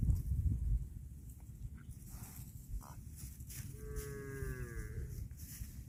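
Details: A cow eating grass lets out one moderately loud, slightly falling moo of about one and a half seconds, following bursts of low crunching and shuffling grazing sounds.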